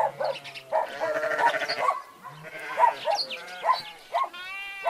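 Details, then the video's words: Bleating from sheep kept alongside goats, several voices at once: choppy, tremulous baas in quick bursts, and a clear, higher, steady bleat near the end. "Sheeps, goats and their sounds"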